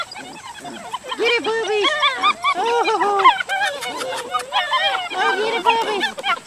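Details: Litter of Dutch Shepherd puppies, four males and three females born July 18th 2013, kept for family protection dog breeding; several pups whine and yelp together in overlapping, arching high cries, rising and falling in quick bursts.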